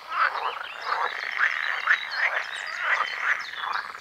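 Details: A chorus of male pool frogs (green frogs) on a sunny day by ditches and ponds, overlapping rattling, croaking calls repeated rapidly in a steady mating din to attract females, peak breeding around late May.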